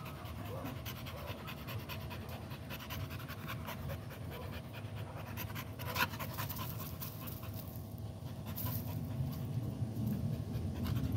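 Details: American Pit Bull Terrier panting fast and steadily, roughly four breaths a second, as rough breathy bursts with a low rumbling background throughout.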